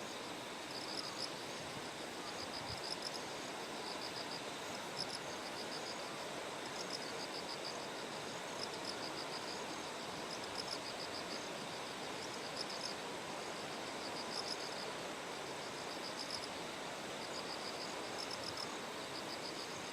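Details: Terraced paddies in Kikuchi, Kumamoto Prefecture, Japan, fed by a clear mountain stream on the September 6 morning before a typhoon: bell crickets give bright trilled bursts in a regular rhythm, half-masked by constant broadband water noise.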